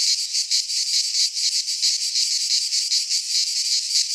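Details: A rasping, high electric buzz from cicadas singing in a Greek pine wood in midsummer, swelling and dipping in short regular beats roughly twice a second.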